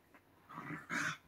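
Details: A white Shiba Inu kept from digging into a futon indoors gives a brief whine: a faint yip, then a louder, drawn-out whimper rising toward the end, over a quiet room hum.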